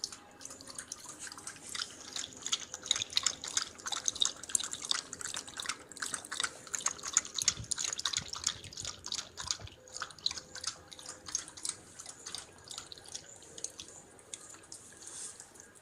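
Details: A thirsty Indian pariah dog, a hunting Indie dog, laps water quickly after being told to drink, its tongue making a steady stream of wet clicks and splashes.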